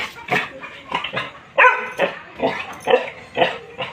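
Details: Labrador Retriever giving short, rough barks roughly every half second, each a brief harsh burst of similar loudness.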